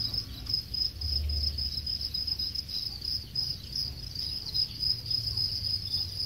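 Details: Crickets raised on a Khon Kaen farm in Thailand, roughly ten days from collection, give a continuous shrill pulsing chirp of rapid even beats, with faint low background rumble.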